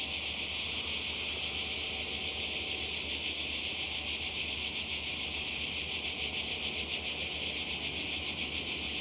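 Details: Summer cicada chorus on the Croatian coast, 2020: a loud, steady, high buzzing wall of sound with a rapid shimmering pulse, continuing without pause over a faint low rumble.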